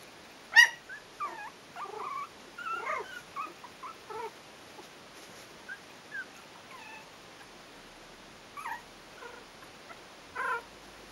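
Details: Four-week-old Yorkshire terrier puppies from a breeding kennel, litter "A": scattered short high whimpers and squeaks with upward and downward slides, spaced irregularly with quiet gaps between bursts.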